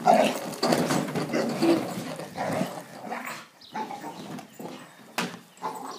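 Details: An English Bull Terrier attacks a lawn mower, giving harsh, uneven barks mixed with throaty growling, some close together and some spaced out, over the steady mechanical drone of the mower.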